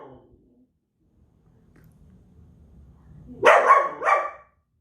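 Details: Belgian Malinois giving one loud double bark near the end, preceded by quiet low rumbling background sound.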